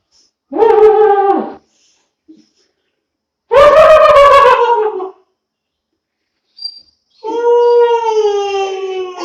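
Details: Long-coat German Shepherd puppy aged two months gives short howls about a second long, a louder harsh one, then a steadier, clear, slightly falling howl, with quiet gaps between them.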